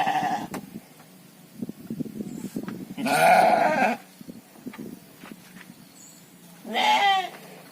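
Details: Domba sheep, gibas type, in a modern fattening pen: a harsh bleat followed by a rising quavering bleat some four seconds later, with rustling and trampling noise between calls.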